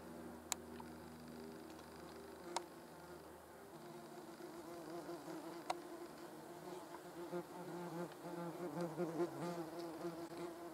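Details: Hornet grooming, yellow jackets around; low humming drone whose pitch steps slightly lower after a few seconds, punctuated by several sharp isolated clicks, buzz growing fuller and wavering toward the end.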